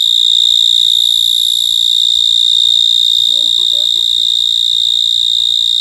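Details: Continuous shrill cricket trill, an even high ringing tone held without pause from start to finish, with a short burst of faint lower chirping notes about halfway through.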